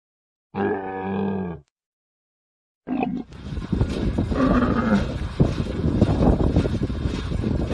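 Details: Camel giving a short, deep harmonic groan, then after a pause a rough, continuous rumbling and gurgling noise with faint tonal wavers inside it.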